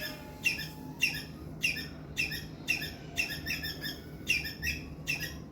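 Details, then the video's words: Squirrel giving a loud distress call: a regular series of harsh, rasping chirps, each starting with a quick falling flick, spaced roughly half a second apart, with a constant low hum underneath. "Loud Squirrel Chirping sound. Attract Squirrel. गिलहरी की आवाज।"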